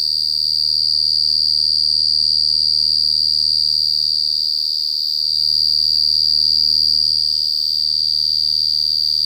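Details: A loud, clear cricket trill rings on as a steady, piercing high tone, finely pulsed in an even rhythm, with no other animals heard.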